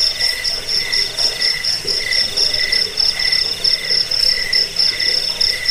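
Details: Cricket chirping, played to drive off rats, lull listeners to sleep and tutor songbirds; shrill high-pitched pulses come in quick, steady bursts several times a second, with a fainter lower tone beneath and soft background hiss.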